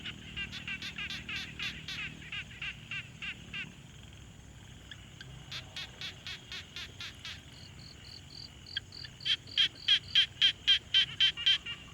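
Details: Frogs at a quiet pond, Tascam Portacapture X6 field recording: several callers giving rapid, regular pulsed notes, a brief lull, then a higher, purer series overlapping a loud run of rasping pulses at the end.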